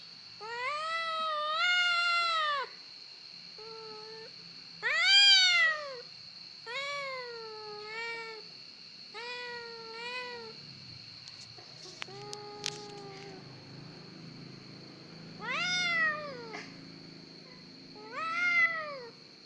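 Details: Domestic cat crying indoors, a string of drawn-out meows, each arching up then falling, with short gaps and a softer chirp near the middle; a steady high electrical whine runs behind.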